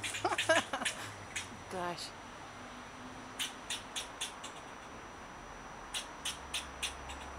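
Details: Eastern fox squirrel guarding its avocado tree against a person, barking and swishing its tail; a person's voice opens, then short, harsh barks repeat irregularly, roughly every third of a second, in scattered bursts.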